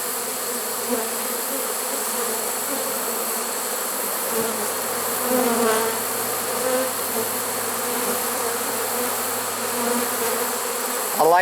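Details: Late-season honey bee swarm, caught in a swarm trap, recorded 1 September 2019. Many bees drone together in a continuous hum that swells slightly near the middle. A brief sharp knock or clatter comes at the very end.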